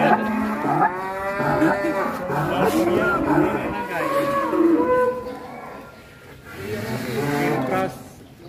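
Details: Huge Indonesian cattle destined for Qurban sacrifice lowing in several long, rich moos over about eight seconds, a pause near the end, then another moo, while people talk and music plays.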